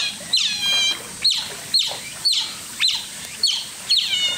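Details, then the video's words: An Asian small-clawed otter at Chiba Zoological Park gives various cries: high, squeaky chirps with sharp downward sweeps, about two per second, with longer harmonic whines between them. "Various cry.Oriental short-clawed otter.コツメカワウソの色んな鳴き声。"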